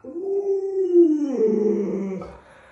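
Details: Alaskan Malamute kept as a pet answers its owner's question with a smooth, sustained howl that gently arches and then slides down into a wavering, lower moan before fading out.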